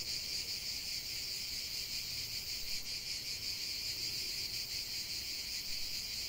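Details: A chorus of cicadas in nature fills the air with a continuous high, hissing drone that wavers gently in loudness throughout.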